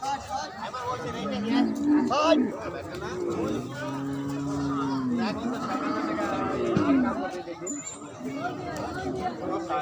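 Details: Cattle at the Hazratpur livestock market, where goats are also traded; a low, drawn-out moo lasting about one and a half seconds stands out from steady crowd chatter, with shorter arched calls before and after.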